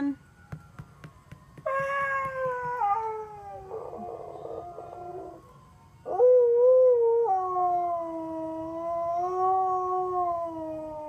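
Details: Siberian Husky named Sonny singing to a passing ice cream truck's tune: a wavering howl, then a rougher throaty stretch, a pause, and a long sustained howl that sinks slowly in pitch.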